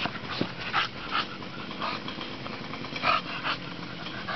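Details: Playing bulldog Bonita out in the sun: a few scattered huffing grunts and one sharper squeaky yip near the end, separated by quieter stretches of background hiss.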